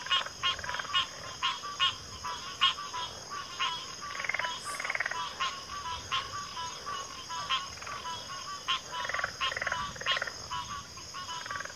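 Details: Dense frog chorus from a backwater, many overlapping croaks and pulsed calls in quick succession, with deeper grunting notes mixed in and a continuous high insect whine.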